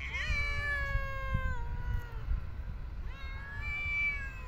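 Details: A street cat being fed meows loudly twice: a long, drawn-out, slightly falling wail followed after a pause by a second rising meow, with faint low traffic-like rumble beneath.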